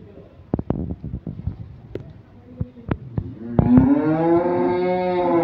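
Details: Cattle at a large farm with Sahiwal animals being prepared for Qurban, Bangladesh, April 27, 2024: a long, loud, rising moo with rich harmonics fills the last two seconds, after clattering knocks and thuds.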